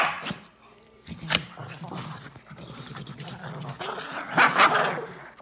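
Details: Pair of Shih Tzu dogs arguing over a toy: a long, steady low growl runs through the middle, with sharp yaps before and after and a bright, loud bark burst near the end.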